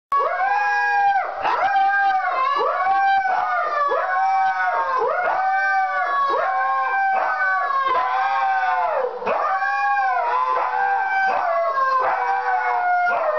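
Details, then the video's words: Several Siberian Huskies howling together, overlapping wavering tones that rise and fall in long arching phrases, continuous and loud throughout. "Howling huskies"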